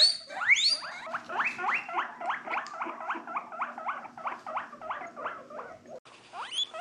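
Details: A guinea pig (Cavia porcellus) squeals in a fast run of short, rising squeaks, several each second.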